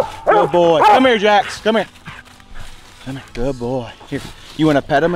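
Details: Coon hounds, the mountain cur Jax and the walker female Cece, give bursts of rich, wavering bawls and barks in short clusters with brief pauses, while people speak nearby.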